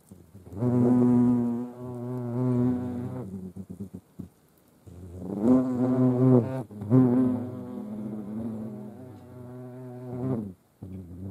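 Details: European hornets and ants at a feeding spot in Dohr, Eifel, Germany, 28 July 2022; deep, rich wing drone comes in several bursts of two to four seconds, pitch wobbling, separated by short silences.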